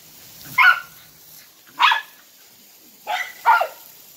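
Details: Dachshunds excited for water outdoors, barking in short bright yelps: a bark near the start, another around two seconds, then a quick double bark toward the end, with quiet gaps between.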